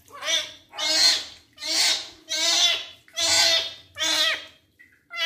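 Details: Male kitten meowing repeatedly during his first bath as his wounds are cleaned: six loud, strained, falling meows, each under a second, coming roughly every three quarters of a second.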